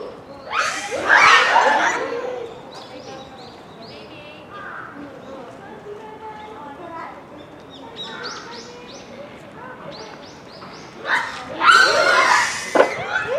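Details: Noisy Japanese macaque troop at Hamura Zoo, Japan, at dusk near closing, December 2020; harsh screaming bursts at the start and near the end frame softer scattered coos and chirps from several monkeys.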